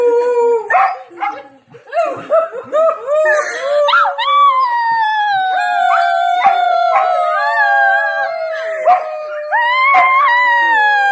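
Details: Dog singing: a run of short rising yelps and broken howl notes, then one long, steady, slowly falling howl over several seconds, ending with a brief upturned note.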